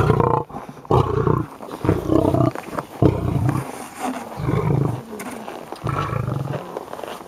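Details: Heavy 400 kg male lion in an aggressive state, producing a run of six low, rasping grunt-roars spaced roughly a second apart, throaty and broadband, with only faint background noise between bursts.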